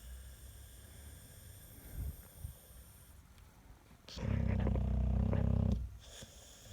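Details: Snoring American Staffordshire Terrier, said to be louder than a spinning washing machine; quiet low breathing, then one loud, deep, rattling snore lasting about one and a half seconds.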